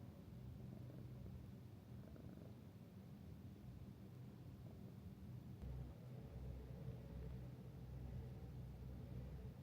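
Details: Purring domestic cat at a minshuku with hot springs near the sea in Ito, Shizuoka, Japan; a low vibrating drone continues throughout, slightly louder and fuller in its second half.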